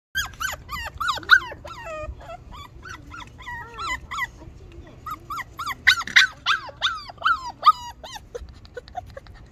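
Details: Shar Pei dog: a rapid, busy string of high, squeaky whines and yelps, many short sliding notes tumbling over one another with brief low growly sounds, in a quiet setting.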